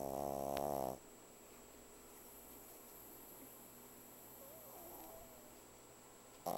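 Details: Vanilla the pug snoring very loudly: a single rough, droning snore fades out within the first second, then long quiet breathing-room hush before the next snore just begins at the end.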